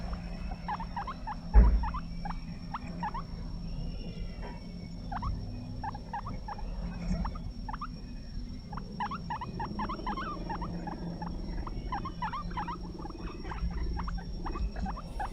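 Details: A caged guinea pig gives rapid runs of brief, high squeaks, each a sharp upward chirp, repeated many times a second with short pauses, over a steady low hum, a faint thin whine and a single soft thump.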